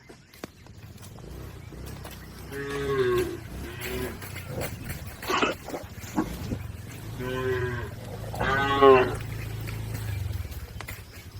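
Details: Moving herd of cattle fording a river to reach the farm pen lowing four times, rich harmonic moos, the last one louder and higher, separated by splashing and trampling noise.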